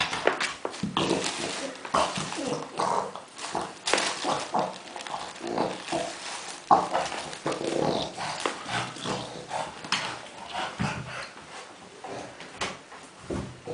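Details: A dog named Kuba, delighted among tennis balls, keeps up a rapid run of rough, piglike grunts and snuffles, dense bursts one after another across the whole stretch, with faint voices now and then.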